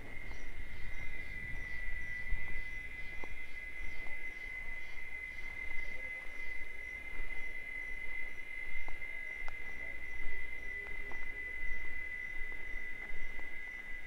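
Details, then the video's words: Cicadas singing in the wild in the sertão of Bahia, Brazil, a mating song: a steady, unbroken high-pitched drone holds at one pitch throughout, over low rumbling background noise and faint ticks. "Cigarra Cantando"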